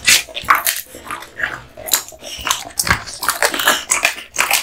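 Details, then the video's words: Male American Bully Kotetsu eating duck spine jerky, with sharp, bright crunches and clicks of teeth on bone, spaced unevenly with quieter pauses between bites. "Dog eating Duck spine jerky"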